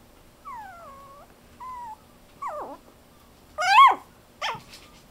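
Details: Fluffy silver toy poodle puppy, a toddling baby, whining: two drawn-out falling whines, a brief level whimper, then sharp descending yelps, with one loud high squeal near the end, against a quiet background.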